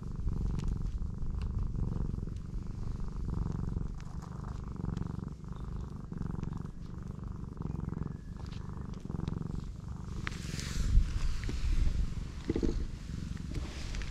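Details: Belly-up pregnant black cat purring continuously as her swollen belly is rubbed; deep pulsing rumble throughout, with a brief rustle of handling toward the end.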